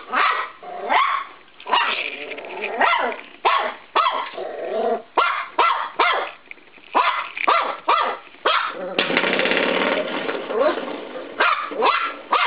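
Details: Norfolk Terrier puppy named Cisco, 13 weeks old, attacking a spring door stop indoors in a bedroom: rapid high yips and barks repeated about twice a second, broken by a sustained twanging rattle from the spring midway.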